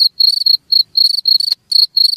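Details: Cricket chirping for playback meant to keep rats away: short high pulsed chirps in uneven bursts separated by brief silent gaps, with a clean background and no other sounds.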